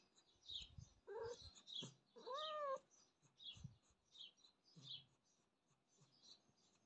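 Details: Pet domestic cat meowing: a short meow, then a longer, drawn-out meow that rises and falls slightly. Faint high chirps and soft low thumps sound in the background.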